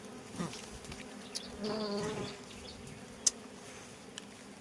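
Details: Wild honey bees (ឃ្មុំផ្លិត) at two nests during a honey harvest in Cambodia; a low, steady hum with a brief louder swell in the middle, plus a few sharp clicks and faint background noise.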